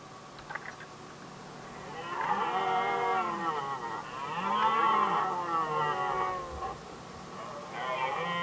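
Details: Red deer stags contesting the hinds during the rut in Västmanland, Sweden, 2010: a deep, drawn-out harmonic roar swelling in two long bellows over several seconds, then a third starting, with faint clicks early on.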